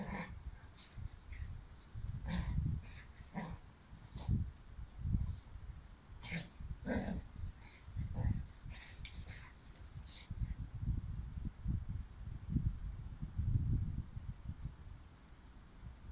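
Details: Young Dobermann chewing on a bone, uneven low growls and snuffling grunts repeating through the recording, interspersed with scraping and handling noises.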